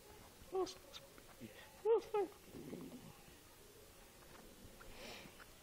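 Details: Baby Chihuahua puppy giving three short, high yelping whimpers, one alone and then a quick pair, each briefly rising and falling in pitch, with faint indoor rustling and soft background noise between them.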